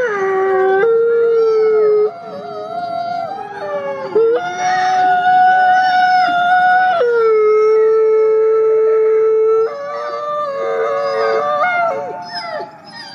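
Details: Wolves communicating by howling in the forest: a dense chorus of overlapping voices, long held tones stepping between pitches, with quavering upper howls and short breaks every few seconds.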